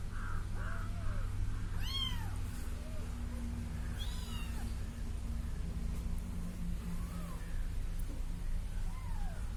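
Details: Kitten following someone, two clear arching mews about two seconds apart, with weaker short cries before and after, set against a constant low rumbling background hum.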